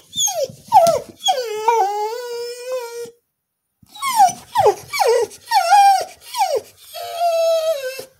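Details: Female Border Collie singing for no known reason: drawn-out wavering howls that slide down and level off, then a run of short rising-and-falling yelps and a final sustained moaning note, with a brief silent gap midway.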